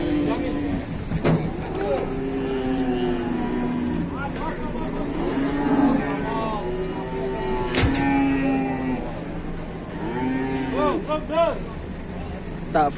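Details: Indonesian cattle, one said to be trapped and pinned: repeated drawn-out moos overlap from several animals, some sliding up at the end, amid vehicle rumble, metallic bangs and occasional speech.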